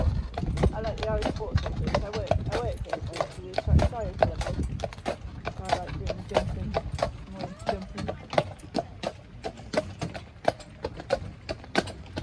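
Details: Hooves of a Shire horse drawing a cart in Dyfed ring out as crisp, regular clip-clops, about one or two per second, over a constant rumble of cart wheels, while people chat throughout.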